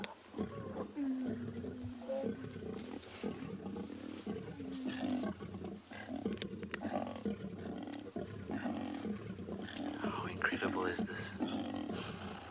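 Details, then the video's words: Lions at a kill at sunrise in Tswalu Kalahari Reserve, South Africa, on 25 May 2020. Spine-chilling growling mixes with short tonal contact calls from cubs while the adults fight over food. A guide speaks throughout. "growling horrible kind of spine-chilling sound mixed with these cute little lion cub contact calls it's"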